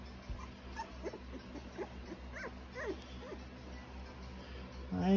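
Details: Cocker spaniel puppies giving faint, short rising whimpers and squeaks in a loose series, with a woman's quiet voice greeting them nearby and a steady low hum underneath.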